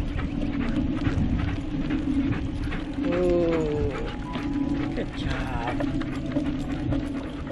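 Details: Excited dogs Tonka, a malamute, and Monroe before a bikejoring run. One sliding, descending whine comes near the middle and a brief wavering cry follows shortly after, over steady shuffling and rustling.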